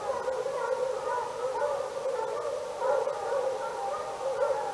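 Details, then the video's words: Dozens of dogs, 48 in all, bark together in a noise endured daily for hours: unbroken layered howling barks rise and fall in waves without pause. "48 barking dogs"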